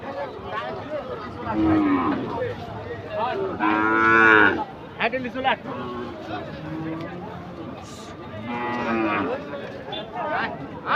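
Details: Agitated cattle during unloading from a truck, dated 3 April 2023: loud, drawn-out moos with strong harmonics, one near two seconds, a longer rising bellow around four seconds and another near nine, over steady crowd chatter and shouting.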